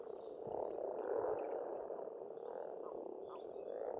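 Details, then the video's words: In spring at a pond in Estonia, many frogs croak together in a rolling, pulsing murmur that rises and falls, with soft, high bird chirps scattered above. "Расслабляющее пение птиц и лягушек, весна, природа."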